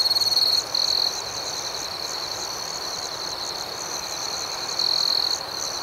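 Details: Crickets chirping at night outdoors: a steady high, shrill ringing tone runs throughout, overlaid by rapid pulsed chirps, with louder trilled bursts near the start and again near the end; no other sounds.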